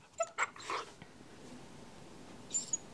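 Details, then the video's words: Very young Northern Inuit puppy Deimos throwing a tantrum because he did not want to settle: two short, high squeaky yelps in quick succession, a softer whine, then a faint squeak near the end in a quiet indoor room. "Northern Inuit Puppy having a tantrum"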